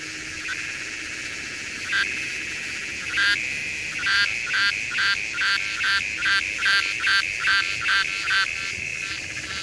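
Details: Redeye cicada, Psaltoda moerens: a steady buzzing drone overlaid with loud rasping pulses, first scattered, then about two per second in a regular rhythmic series toward the end.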